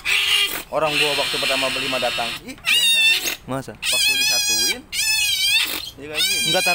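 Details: Tame pet otters vocalizing nearby: harsh noisy squeal at first, then a string of high, wavy, whining chirps in short bursts, with Indonesian conversation running underneath.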